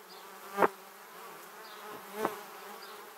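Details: Honey bees on their way to the beehive zip right past a Samsung Gear 360 camera: two loud, sudden close fly-by buzzes about one and a half seconds apart over a soft background hum of the swarm.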